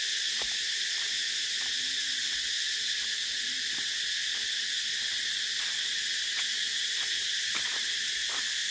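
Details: Cicadas droning in a steady, unbroken high-pitched hiss that fills the upper range, with faint scattered clicks below and no pauses across the stretch.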